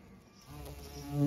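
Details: Bees of many kinds pollinating bluebells, privet and cotoneaster on a regenerative farm in County Kilkenny, Ireland, give a low, steady droning buzz that swells louder as one flies closer.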